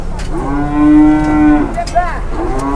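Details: Cattle loaded onto a truck bedded with soil to ease stress, at an Indonesian market; one long, even, drawn-out moo, then a short rising call, over background voices.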